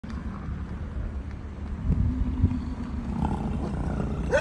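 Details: American bison bellowing during the rut while walking along a road in Yellowstone National Park; a deep, rumbling, growl-like roar holds low and steady through the clip, swelling around the middle, over a faint engine-like hum.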